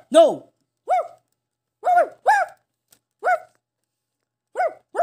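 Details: A Shih Tzu barks indoors, with a second dog, Hichang, in the home. Seven short, sharp, mid-pitched yaps come singly, spaced about one second apart, with silence between them.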